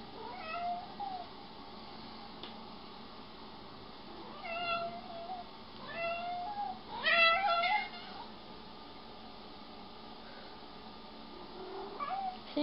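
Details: Domestic cats in a jealous mood indoors give short rising and falling meows around 5 and 7 seconds, with a soft trailing call near the end, over quiet room hiss and occasional speech.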